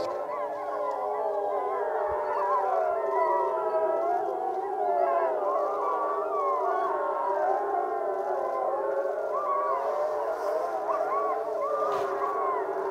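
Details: Wapiti Lake wolf pack coming together for a group howl session; many overlapping voices, some long and steady, others wavering and sliding up and down, forming a dense continuous chorus throughout.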